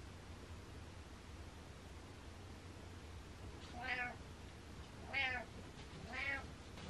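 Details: Butters the cat gives three quick meows in the second half, bright harmonic cries arching up and down about a second apart, after a stretch of quiet room hum.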